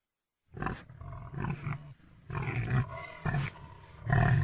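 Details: Deep, continuous pig grunting, with rough low snorts pulsing about every half second and little pause across the whole stretch.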